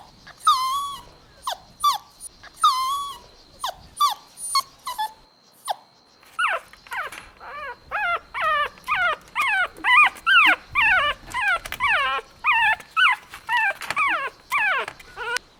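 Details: Golden Retriever (Canis lupus familiaris) puppies playing outdoors in a green meadow give high, quavering whimpers and short yips, repeated about twice a second.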